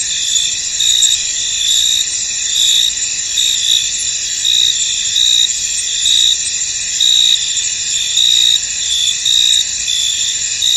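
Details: Field wrapped in mist, alive with crickets: layered shrill trills hold steady while brighter chirp bursts pulse about once a second.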